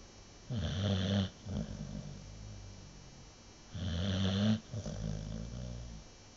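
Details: Nova, an American Bulldog, deeply asleep: two loud, rattling snores about three seconds apart, each followed by a softer, fluttering outbreath.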